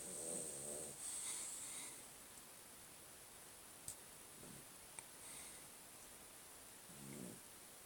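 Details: Puppy asleep after two hours of intense play, snoring indoors: short raspy, rumbling snores with a faint buzzing edge, one run at the start, then softer ones near the middle and end, over a quiet room hiss.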